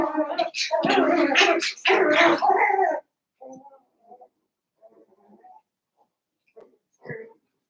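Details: Daisy's seven-week-old Cavalier King Charles Spaniel puppies in a puppy pen inside a home give a loud burst of overlapping whines and yelps for three seconds, then soft scattered squeaks and rustling.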